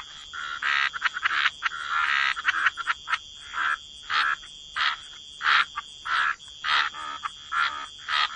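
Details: Croaking frogs in wetlands, short grating croaks repeated in an uneven rhythm of roughly one to two per second, with a constant high-pitched hum behind.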